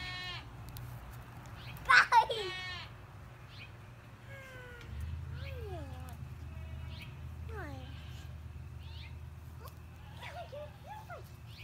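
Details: Young LaMancha kid Sis on hay bales beside a child, from a Willard, Utah dairy herd; a sharp, loud vibrating bleat early on, followed by children's voices and chatter over a steady low rumble.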